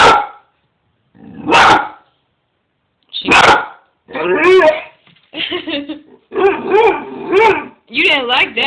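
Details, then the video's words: Dog "talking" after disliking passing people: a few short sharp barks, then a run of wavering, yodel-like moaning vocalizations in rapid bursts. "dog Lilly storm talking"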